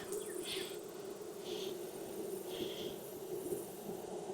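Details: Steady droning hum from a thriving Texas beehive, opened for inspection on a hot 92F day with a 104F heat index, with short breathy scrapes recurring about once a second over the buzz.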